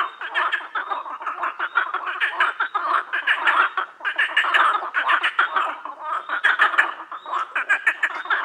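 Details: A loud frog concert: rapid, rattling croaks from many animals stream on continuously, rhythmic pulses building into short louder surges with only a brief dip partway through.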